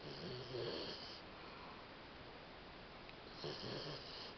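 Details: Mel, a female Labrador Retriever, asleep indoors after playing all day, snoring and having nightmares; two rasping, rumbling snore breaths, one at the start and one near the end, with steady hiss between them.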